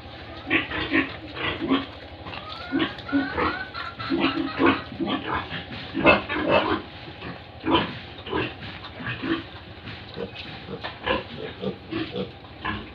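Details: Pigs and piglets on a farm in Tripura, India, a dense run of short grunts and squeals with several animals calling at once, pulses coming in quick bursts throughout.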